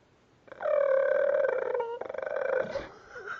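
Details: Raptor-like noise from a dog indoors: a long, rattling, purring trill of about two seconds, dropping slightly in pitch, then breaking into a rougher pulsed stretch that fades out.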